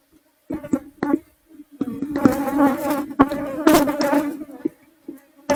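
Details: Honey bees (Apis cerana) disturbed while their hive is removed from inside a kitchen roof: a constant low drone with short clicks, then dense, rising and falling buzzing waves from bees passing nearby.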